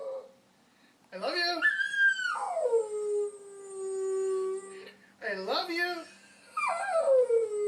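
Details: A pet puppy singing in long howls: a rising, wavering cry that settles into a steady held note lasting about two seconds, then two more howls that climb and bend, with rich layered overtones and quiet pauses between.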